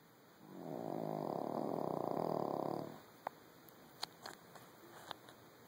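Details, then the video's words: Small dog sound asleep after a hard day of following its owner around, producing one long, rumbling, vibrating snore of over two seconds, then silence broken by a few soft clicks. "A Snoring Dog"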